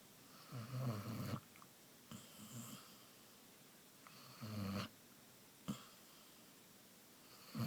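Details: Deep snores from Amaya, a Basset Hound asleep indoors: short, rough, low grumbling breaths at irregular intervals, loudest near the first and fifth seconds, separated by quiet pauses and soft clicks.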